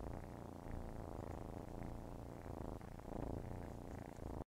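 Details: Kittens purring while nursing: a steady, low, rumbling purr with fine rapid pulsing, continuous throughout with gentle swells in loudness.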